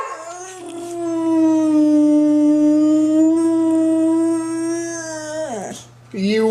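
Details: Pet dog producing a funny noise: one long, steady, mid-pitched howl held for over five seconds with rich overtones, then dropping off abruptly, followed by a short rising yelp.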